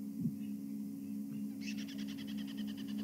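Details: Very upset squirrel giving alarm calls that led a guide to the Quarantine male leopard on a morning safari drive, 19 June 2015: a rapid, evenly pulsed chattering series of sharp notes, about ten a second, over a steady engine hum.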